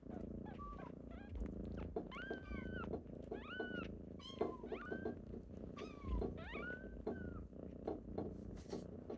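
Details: Morning kittens waking their owner purr in a continuous low throb while a string of short, bright, arching mews repeats every second or so over the purring.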